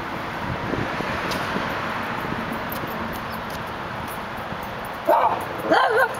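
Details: Through a gate in Los Angeles, a male Dachshund lets out two short, tonal, whiny yips in quick succession near the end, after several seconds of steady urban background rumble.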